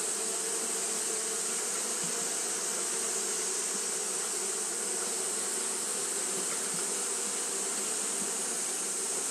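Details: Continuous droning hum from Japanese honey bees fanning through a hot day, a thick even buzz layered with bright high-pitched hiss and no gaps or pauses.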